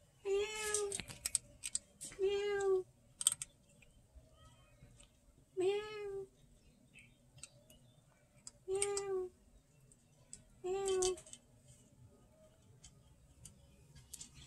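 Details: Pet cat eating food from a 200-year-old jar, giving five clear, drawn-out harmonic meows spaced two to three seconds apart, each slightly falling at the end, with faint clicking and tapping sounds between them.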